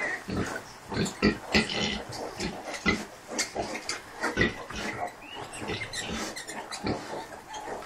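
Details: Kunekune sow, unwell but nursing, with her 5-day-old piglets; many short broadband grunts and squeals overlap in quick irregular bursts, busy piglet chatter throughout.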